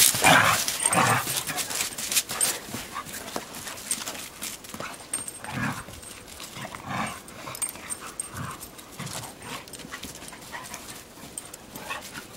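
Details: A Weimaraner and a collie playing roughly in the snow; a few short sharp yips and whimpers come in spaced bursts over steady scuffling and movement noise.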